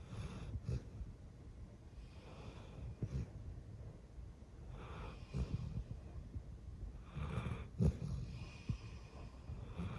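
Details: Sleeping golden retriever, an eleven-year-old female, breathing noisily in slumber: wheezy, snorting inhales and exhales spaced a few seconds apart over a faint low hum, with no music added.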